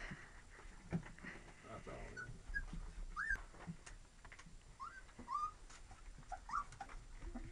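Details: Young Lab and Retriever mix puppies give thin, high, squeaky whimpers, brief rising-and-falling cries repeated every second or so, with soft shuffling and faint human voice in the background.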